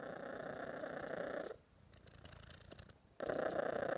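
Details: Cat purring: a steady, rough, rumbling purr for about a second and a half, a quiet pause of over a second, then the loud purr starting again.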